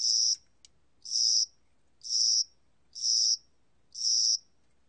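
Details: Korean spring-summer cricket, recorded 2020, producing five high buzzy chirps about one per second, with a single faint tick between the first two.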